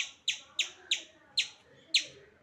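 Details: Hungry squirrel that keeps visiting a home, calling for food: sharp, high chirps repeated about seven times in two and a half seconds at uneven spacing, with a man's voice speaking just before and after.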